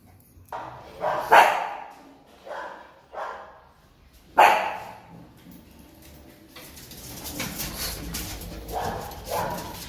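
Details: Joey, a pet Chihuahua, excited to go out and meet his friend Rambo, gives about five short sharp barks and yips in the first half, then quieter rustling and indoor noise follow.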